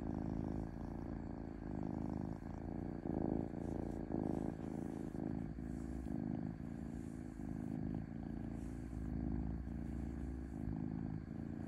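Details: A gentle, peaceful purr from a domestic cat: a continuous low buzzing rumble pulsing with inhale and exhale roughly once a second, steady and even throughout.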